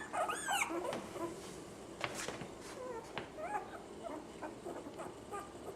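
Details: Six female puppies give high, wavering whines and whimpers that rise and fall in pitch. The calls are densest in the first second, then come in scattered short squeaks, with soft knocks and rustling in between.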